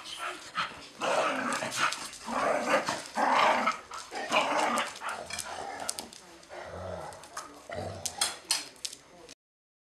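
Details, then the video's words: Dogs locked in a fierce fight, a continuous mass of harsh snarls, growls and yelps, heaving in bursts about once a second, easing toward the end into lower growling with short sharp cries. "Extreme dog fight"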